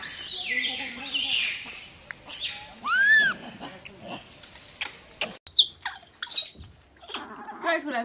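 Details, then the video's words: Macaque screaming for its mother to come and save it after getting its head stuck; high shrill cries and arching squeals, loudest around the third second, with brief sharp bursts later and chatter in the background. "The stupid monkey got his head stuck and couldn't get out, screaming for his mother to come save him"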